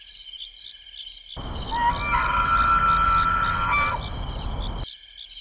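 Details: A huge bull elk bugles after a battle during the rut, a high whistled cry that rises and then holds steady, over a steady insect chorus.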